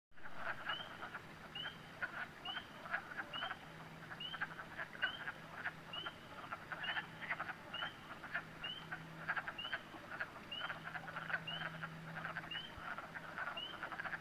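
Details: Frogs calling at a pond at night in New Hampshire: a steady chorus of short, upward-sweeping peeps repeated about once a second, over a bed of crackling, clicking calls and a faint low drone.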